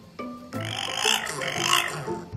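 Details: A very vocal female French bulldog gives rough, squeaky grunts and snorty squeals while eating, happy little excited noises she makes at mealtimes.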